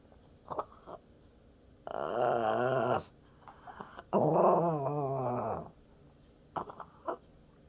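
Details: Pet dog named Peter, asked to say "mom", answers with two long wavering growl-moans, each about a second, pitch bending up and down like speech, between short quiet gaps with faint clicks.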